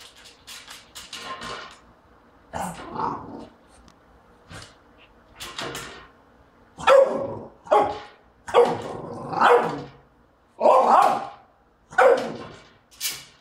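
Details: Jack, a French Bulldog, barks in short, gruff bursts every second or so at a trash can, which he treats as his enemy.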